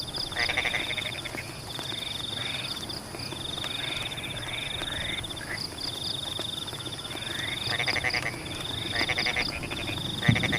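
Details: Chorus of frogs in rainy Pematang paddy fields; many overlapping rapid pulsed croaks in short bursts, some with rising sweeps, set against a continuous high-pitched trill and the patter of falling rain.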